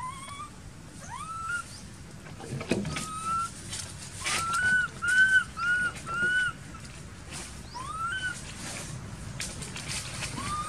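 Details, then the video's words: Baby monkey in an archaeological park cries while its mother ignores it; thin whistled notes that rise and level off, several in a tight run midway, plus occasional sharp knocks and a steady background hiss. "Poor Baby Monkey Crying Without Caring From Her Nasty Mom Monkey"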